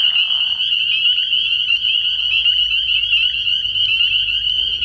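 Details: Early-year frog pond at night filled with spring peepers, their high shrill peeps blending into an unbroken ringing chorus; a short lower buzzy sound opens the stretch before the steady peeping continues.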